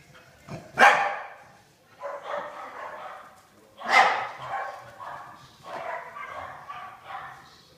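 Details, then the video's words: Two pet dogs playing tag together in their daily play; one chases and outruns the other. Sharp broadband barks and yips at about one and four seconds, with softer growly vocal bursts in between. "Our dogs play tag"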